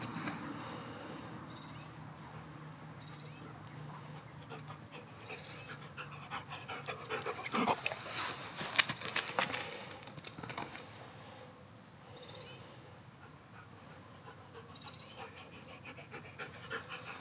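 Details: A three-year-old male Belgian Malinois, playing with a ball, pants rapidly and rhythmically, with a few whimpers and scuffling sounds.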